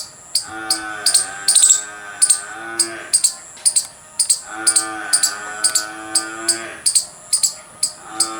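A squirrel gives sharp, high chirps in quick runs, about two or three each second.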